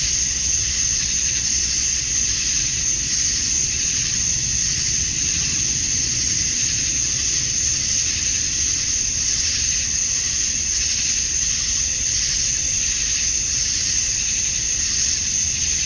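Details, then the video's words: In Georgia, USA, on a summer night at dusk, male cicadas chirp to draw females; the massed insects keep up a constant piercing buzz with slight waves in intensity over sixteen seconds and faint background hum. "Cicadas at Dusk, Summer Night"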